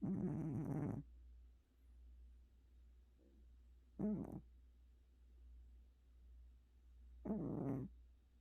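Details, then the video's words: Gucci, a domestic cat worn out after a trip to the vet, snoring while asleep; three raspy, buzzing breaths arrive roughly every three to four seconds over a faint steady hum. "고양이 코골이 전문가"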